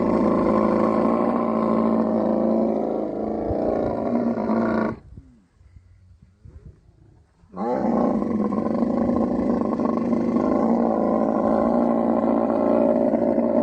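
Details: Camel in mating season in the Thar Desert, Tharparkar, Sindh, Pakistan: a loud, continuous, gurgling roar with a steady rapid pulse. It breaks off briefly into near silence with faint rustles, then resumes just as strongly.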